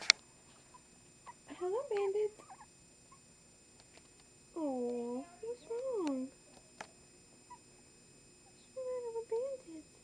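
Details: Newborn Chihuahua puppies from Sweet Pea's litter of three, two boys and a girl, one named Bandit, heard at birth. They give high, wavering squeals with rising and falling arches in three short bouts, separated by quiet pauses.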